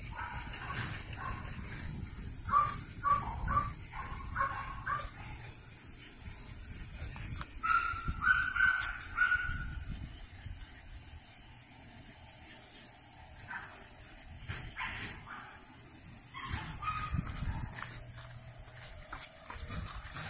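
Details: French Bulldogs born 21 and 23 June 2017 make thin, high whines in short bursts, including a quick run of squeaky cries midway. Quieter gaps separate them, over a steady background hiss.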